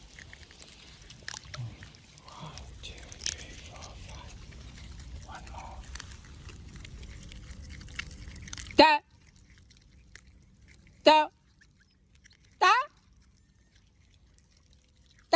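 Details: Otter giving three loud, sharp squealing chirps about two seconds apart, each sweeping steeply across a wide pitch range, after several seconds of soft splashing and low background noise.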